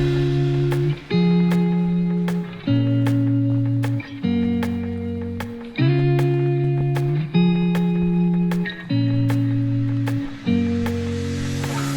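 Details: Strummed guitar chords repeating in an even pattern roughly every one and a half seconds, with no animal sounds present.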